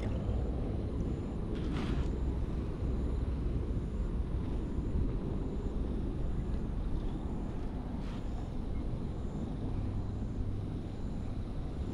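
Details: Outdoor park ambience of steady traffic rumble with a distant aircraft-like drone and a few brief clicks, no animal calls.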